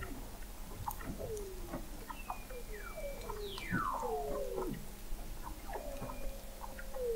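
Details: Several Weddell seals beneath Antarctic sea ice in McMurdo Sound, captured November 2017 by an observatory 21 m under the ice: repeated descending whistles, one steep sweeping glide from high to low, a faint high steady tone, and scattered knocks.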